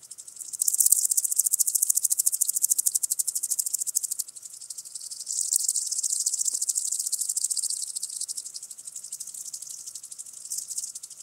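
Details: {'text': 'Common green grasshopper singing in Tschenn, Italy, 19 August 2019: a high, fast-ticking, rasping song that swells, dips briefly around four seconds, then resumes at a steady level.'}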